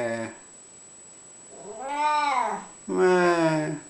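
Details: An unwell male talking cat chats with its owner in a small room. A clear arched meow is followed about a second later by a lower, flatter, louder call, with a brief voice at the start.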